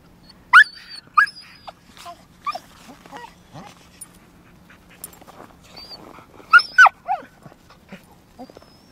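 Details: Lagotto Romagnolo dog, aged 2 years 4 months, in Helsinki, Finland, showing the breed's active nature; short high-pitched whines and yelps come in bursts near the start and again around the seventh second, with soft rustling between.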